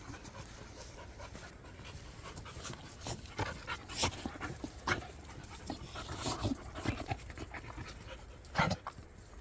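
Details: Jindo dogs in Chungju, Korea, let loose off the leash; rapid, breathy panting bursts, irregular and broadband, growing louder toward the middle and again near the end, over a steady background hiss.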